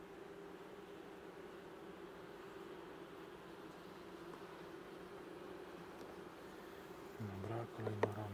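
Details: Honey bees humming steadily during a hive inspection on 21 July 2019, at the second spraying of the colony with 15% lactic acid; a constant low droning tone runs throughout, with brief speech and handling noise near the end.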